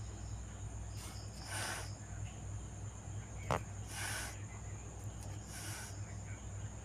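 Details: Cat hissing in short breathy bursts, three rough, noisy hisses spaced roughly two seconds apart, with a sharp click in between and a steady low hum underneath.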